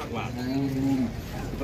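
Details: {'text': 'Large jumbo cattle arriving late, a single low, steady moo holding one pitch for about half a second before dipping, with faint murmuring in the background.'}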